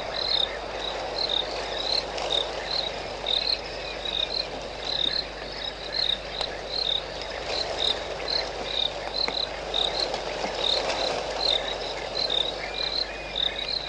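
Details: Early morning at 5:45 am, 21 January 2013, Sabi Sand Game Reserve near Idube lodge: an African foam nest tree frog gives bright, clipped chirps in an irregular string, set against a constant humming chorus of other night callers.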